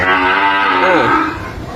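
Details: Young Sahiwal-cross calf from a desi cow in Ghoshpara, Kushtia: one strong, sustained bawling moo, full and harmonic, with a wavering pitch dip toward its close and then tailing off.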